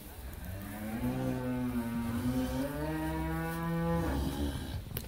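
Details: Long, continuous moo of about four seconds from a first-calving Friesian cow with her bull calf on a Bangladeshi dairy farm in Pabna. The call is deep and level, rising slightly before it fades.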